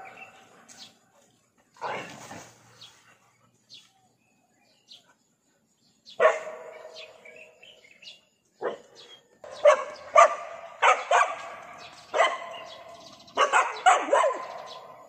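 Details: Dog that has found a lizard it cannot catch. After a few quiet seconds, sharp barks start, then come faster in uneven bursts of single and double yaps with short gaps.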